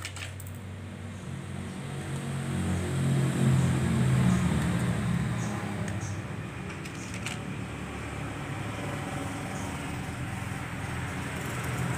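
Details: Steady mechanical rumble like a fan or engine with a low hum and faint clicks, and no animal call.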